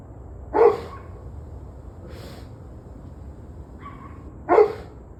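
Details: Domestic dog barking, recorded 21 November 2023 at 7:06 pm; two loud, sharp single barks about four seconds apart, with fainter distant barks between them over a steady low background hum.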